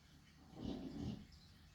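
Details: A chonky dog asleep lets out one short, low, rough snore lasting about half a second over faint steady background hum.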